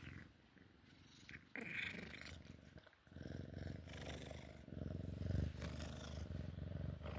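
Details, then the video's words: Sphynx cat during play time, purring in a deep, fast-pulsing rumble that grows louder toward the end, with bursts of rustling and brushing sounds. "Sphynx cat play time purring"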